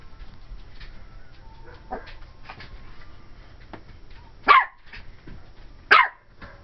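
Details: Twelve-week-old cream and white Pomeranian female Ivory lets out two short, bright barks about a second and a half apart after a quiet stretch, directed at a Dora the Explorer doll watching from the closet.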